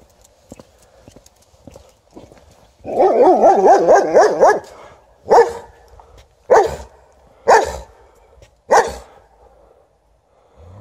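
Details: White Swiss Shepherd barking at an Alaskan Malamute, which ignores it: a long rapid burst of harsh barks lasting nearly two seconds, then four single loud barks about a second apart, with footsteps in between.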